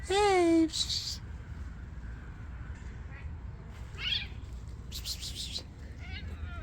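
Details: Homeless hungry stray cats asking for food at night; a loud wavering meow opens, falling then rising, followed by faint softer meows, rustling and a person's quiet calls.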